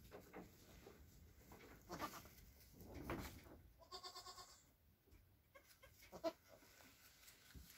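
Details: Two Nigerian Dwarf goat kids, a buckling and a doeling born hours earlier around 11:30pm on April 29th, give soft, wavering bleats near their mother.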